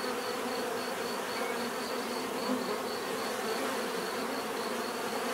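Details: A swarm-like hum of bees, low and constant with no pauses, and a thin, quick series of high clicks layered faintly over the buzzing.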